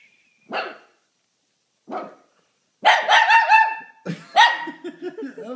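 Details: Indoor Shih Tzu reacting to people sneezing: two short sharp sneezes, then a burst of loud, harmonic, rapidly repeated barks that run into wavering howls, with a person's voice nearby.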